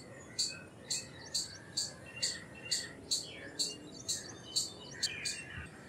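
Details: Rhythmic high-pitched chipping from an Indian palm squirrel, roughly two notes a second, with brief quieter squeaks between the louder chips and steady background hiss.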